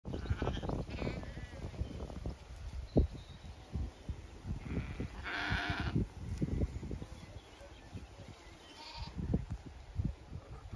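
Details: Zwartbles ewes and fast-growing lambs on a regenerative farm in County Kilkenny, Ireland, on a hot May day, some resting in shade, others grazing or heading for water; one clear bleat midway over low thumping and rustling, with faint bird chirps.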